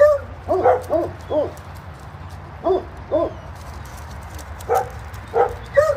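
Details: Barking at a doggy daycare when someone takes a seat: short clustered bursts of two to four clipped, mid-pitched barks, separated by brief quiet gaps, with faint low background noise.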